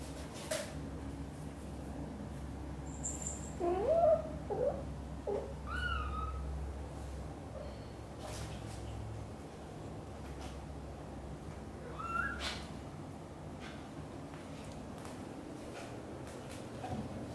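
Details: British Shorthair kitten Cream, black golden, first leaves the nest indoors while mother cat Xaxa nervously follows her every step; a few thin, high meows with bent, wavering pitch, spaced several seconds apart, over a low steady room hum.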